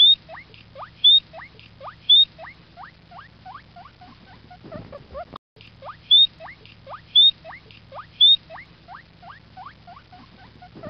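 A guinea pig gives a fast run of short, rising whistled squeaks, with sharper high chirps between.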